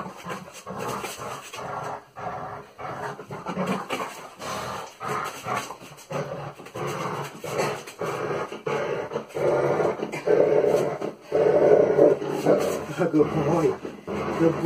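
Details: German Shepherd dog during a training and play session, making a string of low, rough growls and grumbles in uneven bursts about once a second, louder toward the end, with a person praising the dog nearby.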